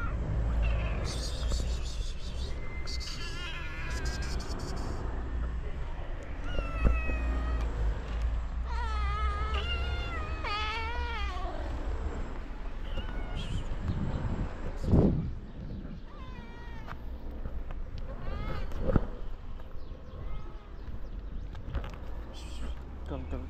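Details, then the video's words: Several stray cats in Morocco greet the man who feeds them, giving a run of gentle, wavering meows, some rising then falling, clustered mid-clip over steady low rumble and a man's voice calling softly. "The cats miss me,filling my heart with the joy of their gentle meows,as if they're saying:We missed"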